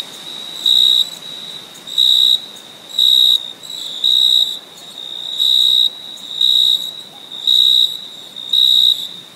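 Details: Crickets chirping on a summer night: short, high, pure-toned chirps, each about half a second long, roughly once a second.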